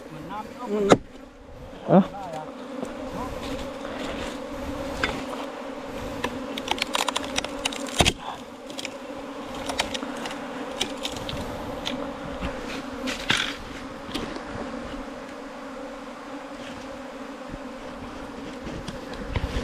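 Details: Bees nesting in a long bamboo stem, about 4 metres, keep up a constant droning buzz. Frequent clicks and scrapes sound over it, with a short voice near the start.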